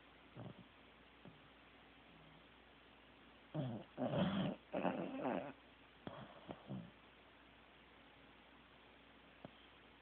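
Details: Sleeping Corgi named Teddy snoring: after several quiet seconds, a cluster of harsh, breathy snorts and rasping inhalations rises briefly, followed by a few softer snuffles and then stillness again.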